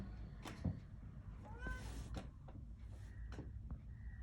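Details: New kitten out in the cold wanting to come inside, fearful of the household cat; one short wavering meow near the middle, surrounded by clicks, knocks and low hum.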